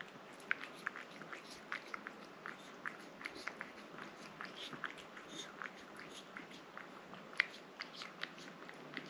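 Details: Rang-i the cat eating a liquid treat: quiet, irregular wet clicks and smacking licks, several every second, over a soft steady hiss.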